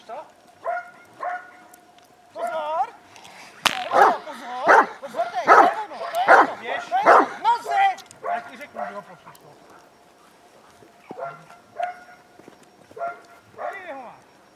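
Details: Protection-trained Hovawart in a session on barking in the search area and obedience in defence, January 2014; a handler talks at first, then a rapid run of heavy barks overlaps his commands before calmer speech returns.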